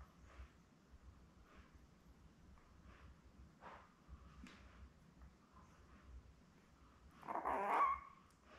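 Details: Newborn Labrador Retriever litter of seven, born May 24, 2021, with their mother Belle, filmed indoors on a live puppy cam on June 4. Quiet soft rustling and faint squeaks, then a short, louder broadband squeal near the end.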